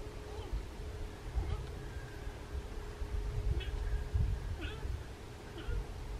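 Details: On 23 October 2018 in Sarthe, France, a rutting fallow deer buck gives deep, belching groans in short bursts over a steady background hum.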